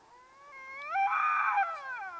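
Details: Two Canada lynx in the Yukon squabbling over dead meat buried in snow; one gives a drawn-out, harmonic yowl that rises, swells loud and wavering, then slides downward, with no other sounds.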